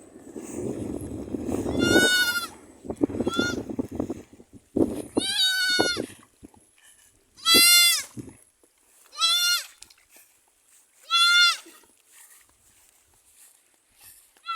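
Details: Goats kept in numbers on a small farm in pleasant surroundings: loud, quavering, harmonic bleats repeated about every two seconds in the second half, preceded by people talking and background music.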